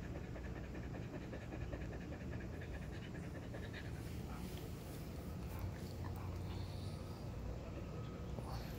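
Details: Husky dog taking a break after running a lot, panting rapidly and steadily with soft breathy pulses over a constant low rumbling background.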